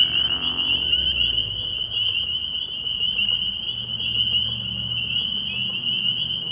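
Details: At night in early spring, a pond full of spring peepers produces a continuous high-pitched ringing chorus of overlapping peeps. A faint low rumble sits underneath throughout.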